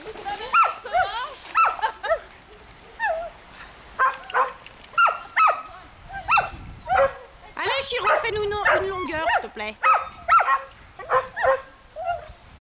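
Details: Smooth Collies barking during a swim alongside a border collie and a shih tzu; rapid, irregular barks and yips from several dogs overlap, with a dense burst of barking midway and splashing beneath.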